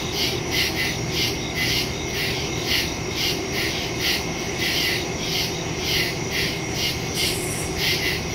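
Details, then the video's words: Woodland crickets at night in early September, phone-recorded through a stereo microphone: regular bursts of high chirping about twice per second above a steady insect hiss and low rumble. "Crickets in the woods at night"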